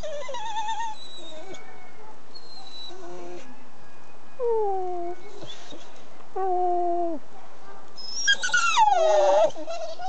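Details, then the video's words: Pet dog trying to sing, making a very funny noise: drawn-out whining howls sliding downward in pitch, several separate notes with pauses, ending in a louder rising then falling wail. "BARKING&SINGING POOCH!"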